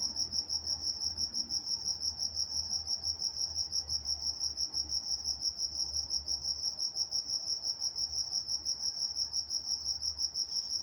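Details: In Walnut, California, crickets chirp through the night in a continuous, rhythmic, piercing high trill of about three pulses per second, with gentle low background noise.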